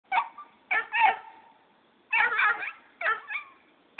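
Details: Jake, a Black and Tan Coonhound puppy, barking as its owner leaves; four bursts of high, yelping barks with howling, slightly wavering tones, grouped in pairs with short quiet gaps.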